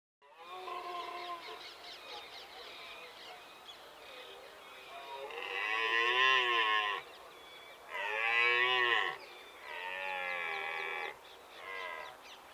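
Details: In England, UK, in October, a red deer stag bolves during the rut, giving deep, rasping roars in separate bursts.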